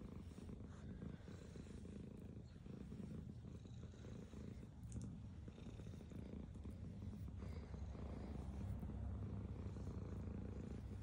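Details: Indoors, a black cat keeps up a deep, steady, throbbing purr while eating, with faint crunching of food mixed in.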